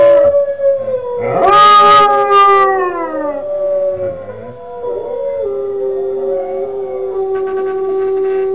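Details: Young Northern Inuit dog Kodiak, five months old and learning to sing, holds a steady howl, briefly jumps higher and breaks, then settles into a long, even, slightly falling tone.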